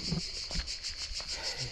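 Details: Crickets in a deep forest, a high, steady shrill trill pulsing about five or six times a second without a break, with faint low rustling underneath.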